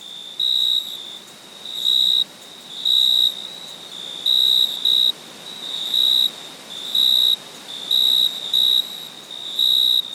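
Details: Cricket at night giving high, steady trilled chirps in short bursts, roughly once every second.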